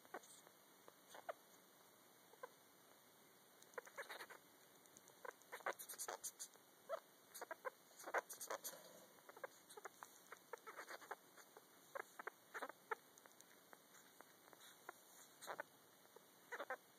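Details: Pet female sugar glider Yoruichi sings to her in-pouch joey in a dark room, giving scattered short dry clicks and chirps, sometimes bunched into quick bursts, sometimes spaced out, over a steady faint electrical whine.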